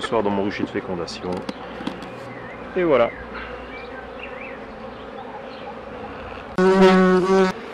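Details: Continuous low droning of a honey bee colony during a beekeeper's hive work. The hum holds steady under scattered bursts of a man talking, with one louder spoken phrase near the end.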